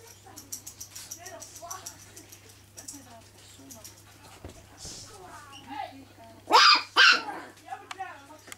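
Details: Chihuahua named CH. Fairytail Souvenir Cheyenne, at home with kids and family, gives two sharp, loud barks in quick succession near the end, after a stretch of soft whines and murmured human speech.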